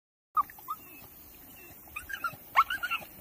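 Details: Female Staffordshire Bull Terrier crying because she wants her stick: after a short silence, thin high whimpers and squeaky rising whines come in scattered bursts, growing busier and louder toward the end.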